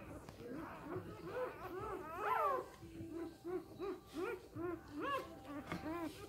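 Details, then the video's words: Samoyed pups aged three days making soft, low, repeated whimpers, short rounded squeaks about every half second, with one higher, louder wail in the middle and a steady background hum. "Samojedenwelpen 3 Tage alt"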